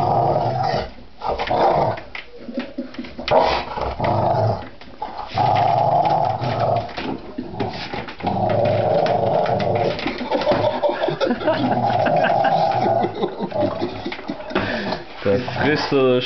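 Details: Rottweiler indoors, reacting to an office chair it dislikes, gives long, sustained rough growling barks in drawn-out bursts with brief pauses, and a person talks now and then.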